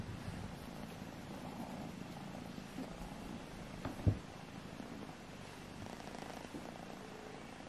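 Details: Kittens Alfonso and Amur tussling to see who is strongest and most beautiful: a continuous low, even purr, broken once by a sharp knock near the middle.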